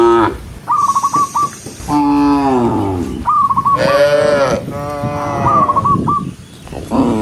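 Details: Gentle tame cows herded along a countryside path through green meadows at sunset, calling others to return home: several long, rich, slightly falling moos in succession, interleaved with quick repeated trilling chirps.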